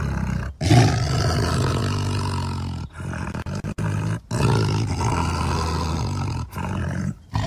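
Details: Tiger giving deep, rumbling roars held for several seconds, with short breaks between long growling bouts and no other clear sounds.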